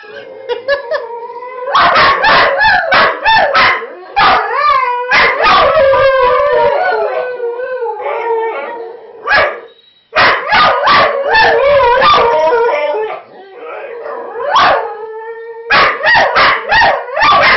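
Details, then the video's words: A chorus of whippets howling against each other, continuous wavering, sliding howls mixed with choppy yips and barks, the voices overlapping almost without a break. "howling whippets"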